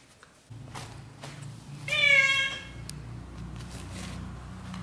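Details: Young British Shorthair kitten in its first 30 days of life, indoors, gives one short high meow of about half a second that rises then falls, with bright stacked harmonics, over a low steady hum and a few faint clicks.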